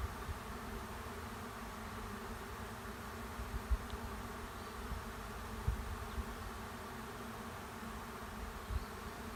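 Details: Swarm of honey bees moving into an empty hive beside a driveway; an unbroken low, dense buzz of countless wings, with a few faint knocks scattered through it.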